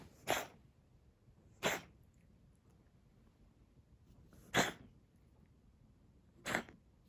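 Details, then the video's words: Indoor recording from 27 February 2021 of a brown tabby cat with asthma: four harsh, explosive coughs at irregular intervals of roughly one to three seconds, with low background hiss between them. "咳の様子 coughing cat"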